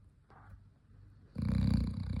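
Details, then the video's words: Dog snoring: near-silence for over a second, then a loud, deep, rasping rumble that swells and holds to the end. "snoring dog"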